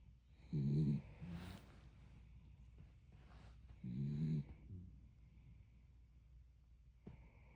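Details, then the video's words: Sleeping dog snoring: two low rumbling snores about three seconds apart, each a short grating burst, with quiet breathing between and a faint click near the end. "Snoring dog"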